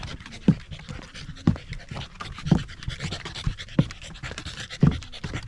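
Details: Corgi panting on a sunny-day hike up a rural mountain near Mt. Jinbagata, Japan, overlooking the central Japanese Alps and Ina Valley before autumn colour; soft breathy pants about once a second over a steady airy hiss.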